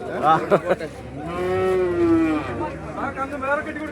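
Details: Bull calf at the Kollannur cattle market, Kerala, India, being tied up during sale: one long, clear moo sliding slightly downward for about a second, framed by men giving instructions.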